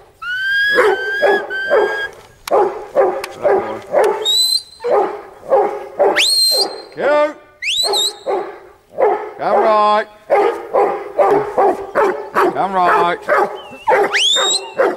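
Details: Huntaway barking continuously in fast rough woofs, mixed with shrill rising yelps, wavering whines and squeals.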